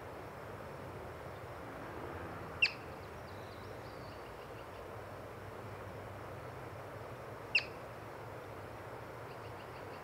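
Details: Two piercing high chirps about five seconds apart from a yellow-bellied marmot spotted while birding, each call a sudden brief whistle against a soft, even background hiss.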